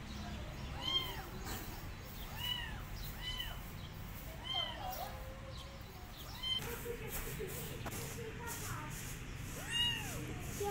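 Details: Abandoned male kitten meowing at a cat he wants as a mother, who refuses to adopt him; a run of clear, arching, rise-and-fall meows repeated about every second, with a little speech and low background hum.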